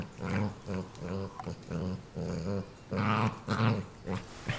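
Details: ['Softer, low rumbling growls from pet dog Ninja protecting a fresh toy, pulsing in short uneven bursts, indoors.']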